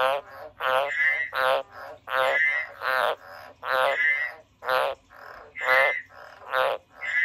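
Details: Frog croaking rapidly and loudly, a steady run of rasping, pulsed notes roughly every half second, each with a brief higher tonal tail.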